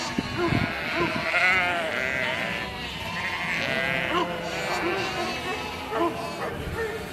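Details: Sheep bleating as a flock: many overlapping wavering, nasal bleats of varied pitch run continuously through the seconds, some rising and falling, with a steady murmur of other animals underneath.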